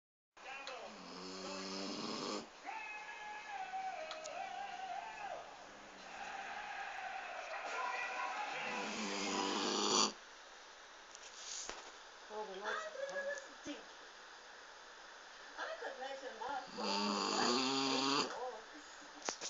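A sleeping Weimaraner snores in long, rasping breaths with a whining, tonal edge.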